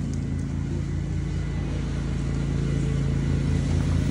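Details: A steady, low engine drone from a mower runs the whole time and grows slightly louder at the end, with no tiger sound audible.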